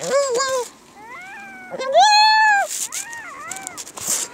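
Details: Tearful harp seal pup with watery eyes and a sniffling nose, calling in a run of wavering, harmonic-rich bleats, one long loud cry in the middle, followed by softer falling moans.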